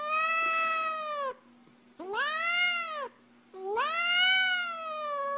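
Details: Siren-like meows from a domestic cat: three loud, harmonically rich wails, each rising then falling in an arch, about a second long with brief gaps; constant low electrical hum.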